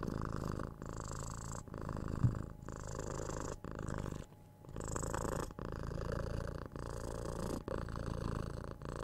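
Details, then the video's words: A kitten aged six months purrs while being cuddled, kissed and scratched on the head, recorded on a binaural 3DIO mic; rich low purr pulsing with each breath near once a second, with a short quieter pause around four seconds. "Cat Purring"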